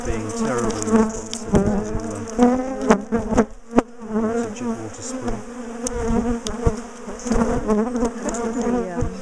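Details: Large, defensive bee colony disturbed while its top bar hive is dismantled and relocated; a steady low swarm drone with shifting, overlapping tones, broken by loud clicks and knocks of handling.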